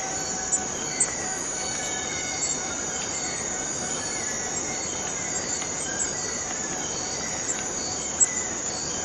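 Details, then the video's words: Rainforest cicada from Borneo, a continuous sizzling high buzz with faint tonal whines and a few soft clicks dotted through. "Borneo Rain Forest Cicada - Cicada sound - cicada noise"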